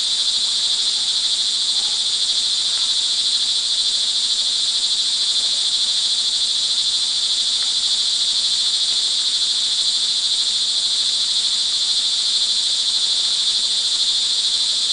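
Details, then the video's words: Recorded at early evening on June 24, 2011 in Montalban, Rizal, Philippines, crickets in the rain produce a steady, high, ringing trill from many callers, unbroken and uniform for the whole stretch. "sound recording of crickets in the rain"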